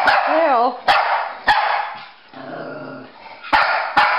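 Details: Pekingese and Bulldog at play chase; a rising-falling whining bark, then a low rumbling growl, broken by sharp knocks and clatters, with a person speaking in the background.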